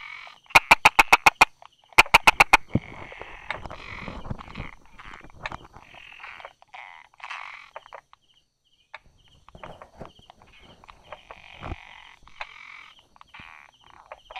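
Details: Brauer's tree frog calling from beside rock crevices and small grass, 22 July 2016 at 10:44: two sharp bursts of rapid 'da-da' clicks, the first of about eight quick clicks, the second shorter, then softer scattered calls over a steady background chirping.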